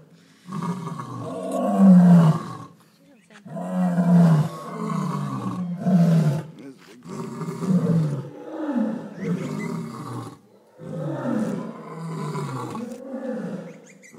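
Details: {'caption': 'Lions at Darling Downs Zoo roaring: deep, throaty grunting bursts about a second long, repeated roughly every two seconds in an uneven series, rising and falling in strength with short pauses between.'}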